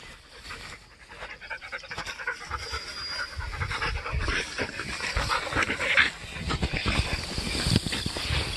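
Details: Border Collie panting on a walk outdoors: rhythmic breathy huffs at roughly one and a half per second that grow louder partway through, with rustling and a faint high insect whine behind.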